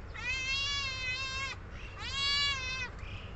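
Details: Kittens at feeding time give two clear, even, harmonic-rich meows of about one second each, separated by a short pause, over low background rumble.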